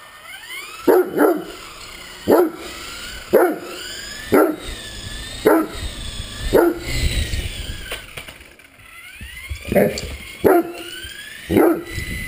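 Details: Great Dane playing with a flying RC helicopter, giving deep, loud barks, singly or in quick pairs, roughly once a second with short pauses between them and a faint whine underneath.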